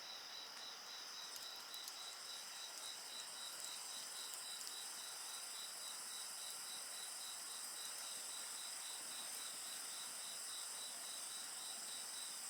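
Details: Insects sing in a dense high chorus, one voice pulsing in even, rapid beats above a steady shimmering trill, while a bonfire crackles faintly early on.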